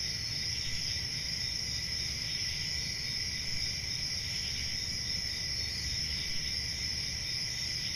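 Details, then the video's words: Many crickets chirping through a peaceful country summer night near forest, a seamless high-pitched ringing drone at two pitch levels, steady and unchanging, with low rumble beneath. "10 Hours Relaxing Cricket Sounds For Sleep | Ambient Summer Night"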